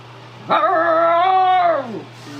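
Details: Siberian Husky vocalizing beside an electric fan: one drawn-out tonal whine lasting about a second and a half, held level and then sliding downward as it fades, with a faint steady hum underneath.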